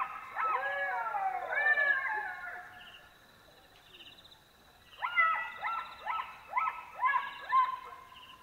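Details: Black-backed jackals at night in Botswana give wailing howls in chorus, a cluster of falling and rising cries, a brief quiet spell, then a second bout of sharp yelping howls, with a faint insect drone behind.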